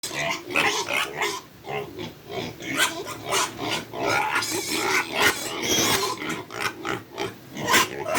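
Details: Hungry farm pigs at feeding time squeal loudly and continuously, several animals overlapping in shrill, rapid, rising and falling cries with grunts underneath.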